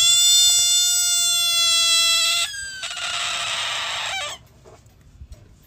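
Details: Frog screaming at a dog: a loud, sustained, harmonic shriek for about two and a half seconds, then a harsh, noisy rasp that cuts off abruptly near four seconds, leaving quiet background.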